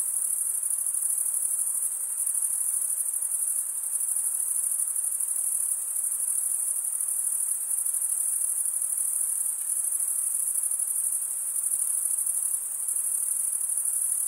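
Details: Crickets chirping, a sound made by stridulation as males rub one wing's toothed vein against the other; a steady, unbroken high-pitched shimmering trill with a fine pulsed texture throughout, and no other sounds.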